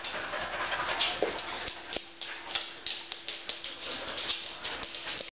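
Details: Two Samoyeds playing tug of war, panting in quick, breathy, hissing puffs at about three per second, with a faint steady low hum throughout.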